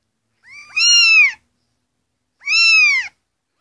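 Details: Kittens meowing to get attention: two clear high, harmonic-rich meows, the first rising then falling and lasting nearly a second, the second shorter and arched, with silence between.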